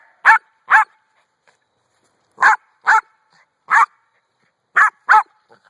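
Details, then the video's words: A domestic dog barks at a rock: sharp, bright barks mostly in pairs, seven in total with pauses of about a second between bursts, and a faint whine at the close. "barking at the rock"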